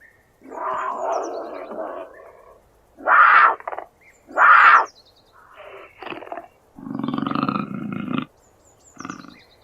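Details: Puma growling: a string of harsh, raspy snarls, two short loud bursts in the middle, and a deeper, rougher growl near the end. Thin bird chirps are faintly heard above.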